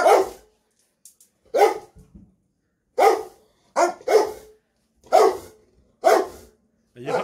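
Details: Rottweiler cross Presa Canario dogs, a pair, excited for their food and barking. A rapid, uneven run of about eight sharp barks over seven seconds, some in quick doubles, then a man asks if they are hungry.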